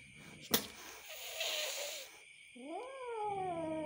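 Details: An angry kitten, shown for the first time: after a sharp click and a breathy noise burst, one drawn-out tonal meow rises quickly and then slowly falls. It is quiet, over a faint background hum.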